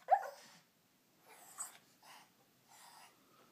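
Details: Rusty, a pet Shih Tzu, angry at his bath towel after being bathed: one sharp bark-like burst, then three softer growling grumbles about half a second each. A person talks to him over it, urging him to get the towel.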